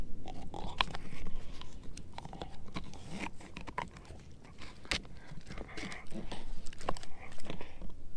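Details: German Shepherd mix named Edu gnawing a dehydrated pig ear chew indoors; dense, steady crunching with sharp cracking snaps scattered throughout, about two bites per second.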